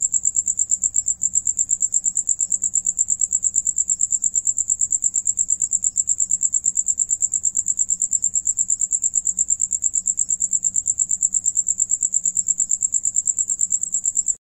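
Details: Several crickets sing, one of them while eating, in a steady, high-pitched chirping trill that pulses rapidly without pause. Cricket.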